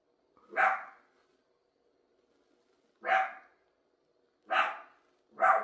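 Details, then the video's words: Single dog barking in a quiet room, four clipped barks, the first alone and the last three coming closer together. "If you like dogs making noise"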